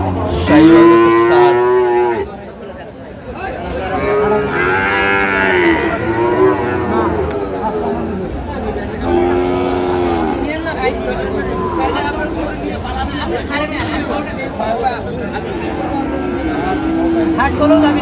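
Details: Sahiwal breed bull calves being sold at a cattle market in Chattogram, Bangladesh, on 7 March 2025: repeated long bellowing moos, some strained and wavering, amid crowd talk and market noise.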